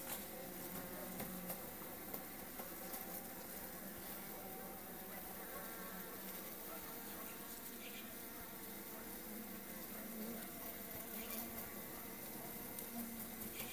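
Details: Melipona beecheii, a stingless bee known in Honduras as blanco estrella, giving a soft, steady, low droning hum that holds without break against faint background hiss and a few brief ticks.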